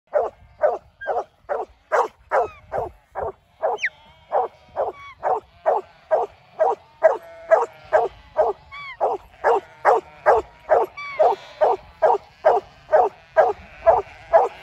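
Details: Huntaway dog in the UK barking while keeping sheep moving: a steady run of short, mid-pitched barks about twice a second, continuing throughout, with a few high whistled notes and faint background noise.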